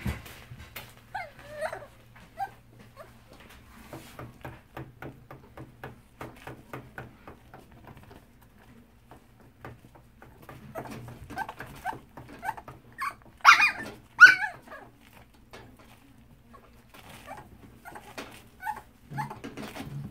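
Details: A young dachshund in a hospital cage whimpers in soft, high, wavering whines, seemingly curious and pleading to be let out; its distemper PCR test was negative.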